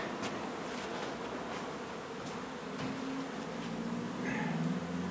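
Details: Honey bee colony being removed from beneath the floor of an old house under renovation in Donna, Texas; a dense, steady buzzing hum with a low droning tone that strengthens after three seconds, with soft clicks and handling noise.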